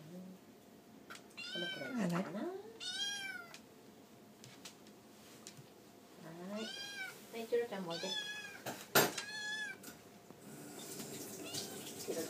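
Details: Tabby kitten in a Japanese home crying for food at dinnertime while eating alongside two other cats; several rising-falling harmonic meows in quick bursts, with soft background noise.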